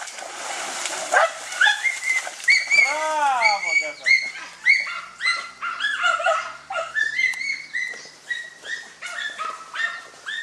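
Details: German Hunting Terrier during a wild boar hunt giving a long run of high, excited whining yelps, some arching up then down, others short and clipped, nearly continuous for ten seconds.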